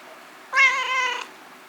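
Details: Talkative rescued male kitten, about four to five months old, calling indoors to the female calico foster mother cat it is strongly attached to; a single steady harmonic meow lasting under a second, even in pitch, with a quiet room behind.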